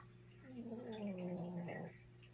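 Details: Hoku, a little dog, snoring loudly while asleep indoors: one drawn-out, gargling, tonal snore that slides gently downward and lasts about a second and a half, over a steady low household hum.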